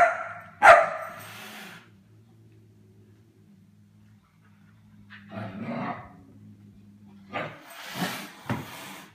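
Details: Young German Shepherd playing with pet cats: one loud, ringing bark opens, then a long quiet stretch with a low hum, followed by softer rough yaps and noisy scuffling bursts near the end.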